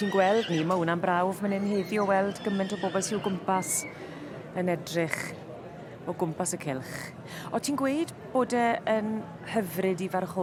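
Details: Welsh Cobs, a filly and a gelding, at a show: quavering, wavering whinnies open the recording, and further tremulous neighs follow later. A man's voice keeps talking throughout, with a brief snatch of music.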